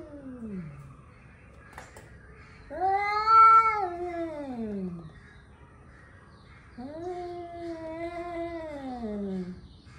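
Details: Before fighting, angry male cats caterwaul: a descending wail tails off, then two long howls each rise, hold and slide downward, separated by a few seconds of quiet.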